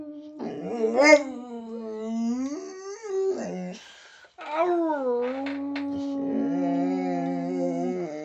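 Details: Pet Boxer howling and talking with its owner in a small room: bending, wavering howls with yelping onsets, a short break, then a long steady howl joined by a second, lower sustained tone.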